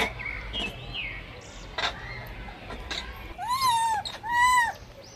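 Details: A blind baby monkey struggling over food cries out twice near the end: loud, arching, wavering whines after a stretch of faint rustles and knocks.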